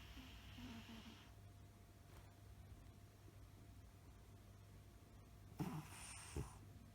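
A sleeping Maine Coon cat snores softly, a low rumbling breath drawn in and out.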